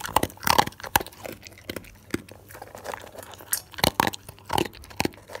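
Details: Pet dog chewing assorted food indoors, crispy, moist or bone: dense crunching and smacking, rapid clustered bites early, then spaced crunches roughly every half second, and a final flurry of chewing.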